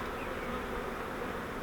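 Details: Honey bee swarm caught in a flowerpot bait hive, being moved into a Langstroth hive; dense, steady, rough hum of many wings filling the air without a break.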